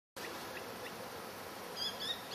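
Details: Honey bees from a wild hive collected from a log, now settled in a new box with a viewing window, bringing pollen in and fed fondant; a steady dense buzz of many bees, with faint high chirps near the end.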